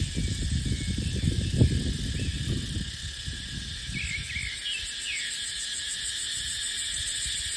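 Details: Cicadas singing in dry dipterocarp forest during the dry season. Strong wind gusts roar for the first three seconds, then ease, leaving the continuous high buzzing drone and a few thin chirps.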